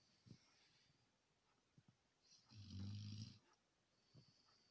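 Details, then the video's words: Asleep, a Labrador Retriever gives one long, deep, rattling snore lasting about a second, framed by quieter breathing and small clicks. "Лабрадор храпит"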